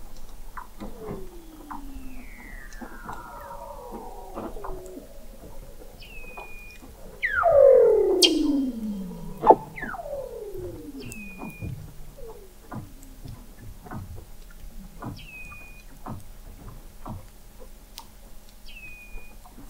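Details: Under the sea ice of McMurdo Sound, Antarctica, Weddell seals sing in November 2017, captured 21 m below the ice by the McMurdo Oceanographic Observatory: many overlapping downward-sweeping trills and glides, one loud descending sweep, and repeated short high chirps.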